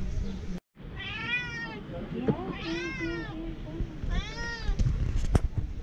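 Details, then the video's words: Mother cat Bella recognizing her owner from far away, giving three drawn-out, wavering meows about a second apart, each slightly rising then falling, with Turkish speech from people nearby between the calls. "Mom cat recognizes me from far"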